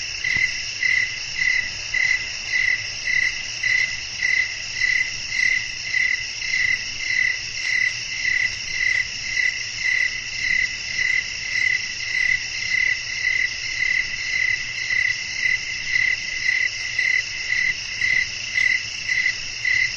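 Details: Crickets chirping in a nighttime nature setting: steady, high-pitched pulsed chirps with ringing overtones, close to two per second in an even rhythm, over a faint low background hum.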